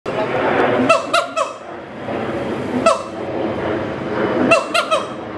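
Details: A mated pair of adult siamang at Schmutzer Primate Center duet to advertise territory: groups of two or three loud barking calls with falling glides, spaced about two seconds apart, over a steady murmur of background noise.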